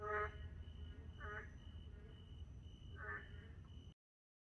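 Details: A few narrow-mouthed toad croaks at night in a park, three short nasal calls about a second apart, over a low background hum and a thin steady high tone, ending in silence.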